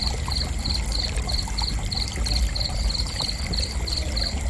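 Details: Rhythmic high chirps from a cricket, brief pulses repeating roughly three times per second without pause, set against a continuous deep rumbling hum.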